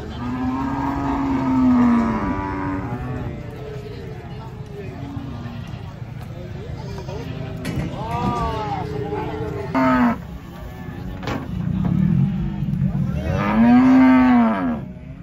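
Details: Several agitated cattle coming down off a truck; a series of loud, low moos, some long and rising then falling, others short and hoarse, repeated over fifteen seconds amid crowd voices and clatter.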